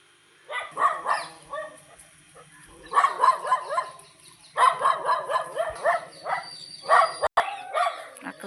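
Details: Labrador Retriever dogs on a morning walk, getting very excited at seeing people and calling nonstop: quick bursts of high, whiny yips repeated several times a second in clusters, with a person's voice talking alongside.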